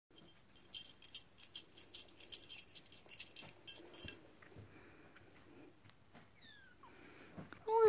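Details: A female British Shorthair kitten, pink/black, born 21 January, gives a brief high falling mew, then a louder meow after rattling jingles, called a grumbler; British Shorthair cat.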